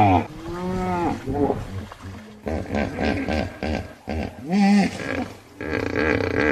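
A hippopotamus gives deep, rumbling grunts and honking calls that rise and fall in bursts.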